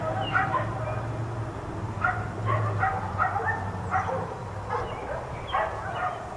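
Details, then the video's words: Four dogs left out in a yard all day yap in irregular clusters of short barks with small pauses between, accompanied by a low continuous hum. "4 Dogs Barking Allday"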